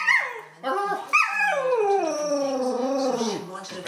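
A Cocker Spaniel sings in drawn-out, wavering howls that slide slowly downward in pitch.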